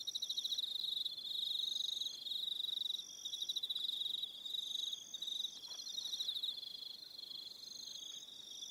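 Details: Several crickets trill together at dusk on Aroha Island, New Zealand, making rapid high pulses in bursts of about a second, layered with fainter higher-pitched chirping insects and quiet background hiss.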